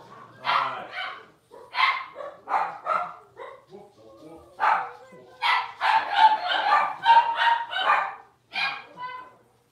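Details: Five blenheim Cavalier King Charles Spaniel puppies, six weeks old and born around New Year's, yap in short irregular bursts, several voices overlapping into a busy chorus of shrill barks before a final few yips; faint speech underneath.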